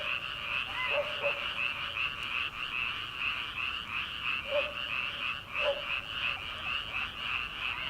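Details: Paddy-field frogs calling at night as summer begins, before transplanting: steady pulsing high chorus with a few distinct croaks standing out near the first, fifth and sixth seconds.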